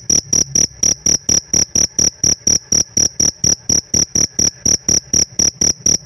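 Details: Pet cricket chirping: steady, evenly spaced high chirps, about three per second, each a bright ringing pulse with a faint higher overtone and a clicky broadband edge, with no other sounds.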